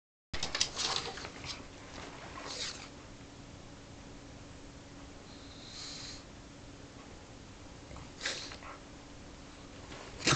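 A pug gives short, breathy snorts and sniffs, with quiet pauses and a faint steady hum.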